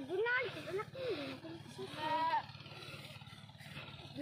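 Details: Pet goats out herding: a pair of short arching, wavering bleats at the start, then a longer rising-and-falling bleat midway, all over a steady low engine drone with faint voices.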